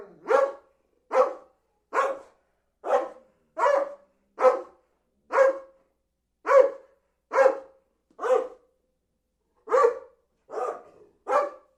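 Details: Dog barking steadily, fourteen sharp mid-pitched barks spaced roughly one second apart with a short pause near the end, clean background with no other sounds.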